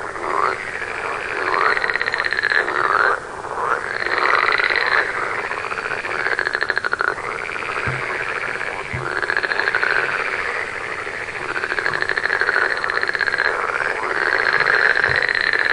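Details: Many frogs calling together, rattling pulsed croaks that arc up and down in repeated waves, an unbroken chorus with a short dip near three seconds.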